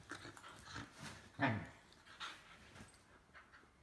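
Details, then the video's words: Whippet dog making short grunting, whining vocal bursts roughly every half second, with one louder, harmonic yelp-like call midway; no other clear sounds. "Whippet Talking, Speaking, Barking and Burping"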